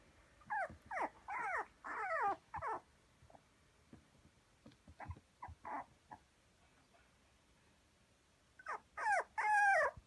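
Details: Toy Poodle puppy, 48 days old, red coat, at a breeder in Kumamoto, Japan, on 16 October: high whimpering squeals in short bursts, several sliding downward in pitch, a cluster early on, scattered quieter cries, then a loud run of whines at the end.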